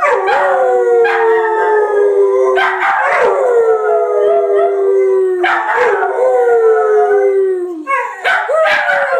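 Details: Miniature pinscher and boxer-pit mix, two house dogs, howling in chorus: repeated drawn-out howls that start high and slide downward, restarting every couple of seconds with sharp yips at each onset.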